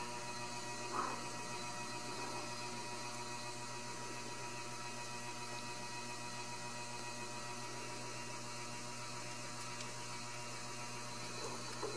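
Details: Steady electrical hum and faint indoor room noise fill the recording, with a few soft clicks and no animal voice.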